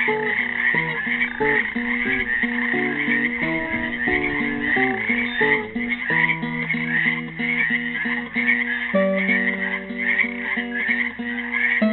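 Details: Classical guitar picking, busy at first, then slower held chords, accompanies a constant high croaking chorus of frogs trapped in a Helix, Oregon pool, recorded on Earth Day 2016.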